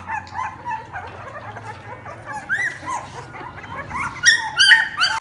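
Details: American Bully, standard size, at a pet shop in Delhi NCR, India: rapid high yelps and whining squeals overlap from several dogs, growing louder and sharper in the final second, over a low steady hum.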